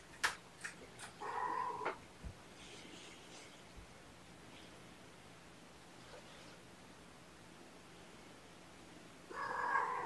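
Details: Sleepy foster kittens waking from a nap indoors on weigh-in night; a couple of short harmonic meows near the start, clicks and soft rustles, a long quiet stretch, then another clear meow at the end.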